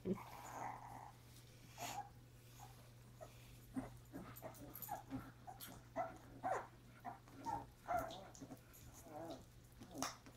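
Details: Pepper, a mother dog, with her puppies on January 30: a busy run of short, soft squeaks and whimpers at mid pitch, with a few thin, squeaky notes near the end and a steady low hum underneath.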